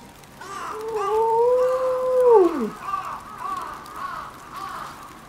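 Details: Kinako, an 11-year-old female timber wolf mother in Maruyama Zoo's pack in Sapporo, howls on 22 December 2011 as heavy snow begins, set off by a distant ambulance siren while the others stay silent: one long steady howl dropping sharply, then softer wavering notes.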